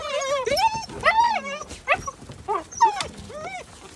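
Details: Gerberian Shepsky puppies, nine weeks old, playing outdoors on a sunny, brisk winter day; high, arching whines and yelps come in quick bursts, with people talking and laughing.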